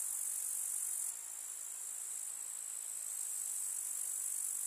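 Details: Grasshoppers stridulating in a summer village meadow among wildflowers: a bright, constant high buzzing band, easing slightly after the first second and holding steady to the end.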